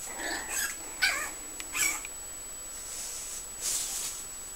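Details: Puggle puppies five weeks old make faint high whines and short squeaky yelps, scattered and irregular, with hissing background noise.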